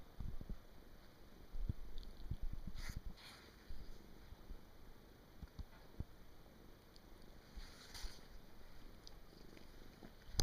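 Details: Indoor house cat deep asleep on 23 December 2017, its snore a low, rough rumble that comes in uneven breathy bursts, with several louder pulses and brief rustling noises.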